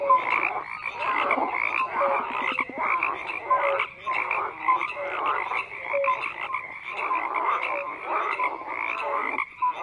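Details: A chorus of frogs croaking together, rough rattling calls layered with brief whistle-like tones recurring roughly every second, volume rising and dipping slightly.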